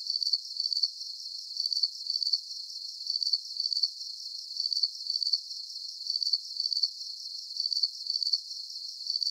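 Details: Crickets calling for a deep sleep nature soundscape: a steady run of sharp, high chirps in doubled pulses, evenly spaced and continuous, over a thin constant hiss.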